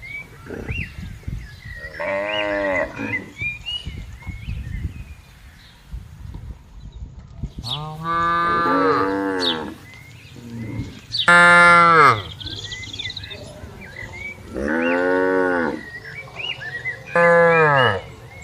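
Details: Free-roaming tame cattle in a broad green plantation give a series of drawn-out, harmonic moos, about five calls spaced a few seconds apart, some falling in pitch at the end, over soft outdoor background and faint bird chirps.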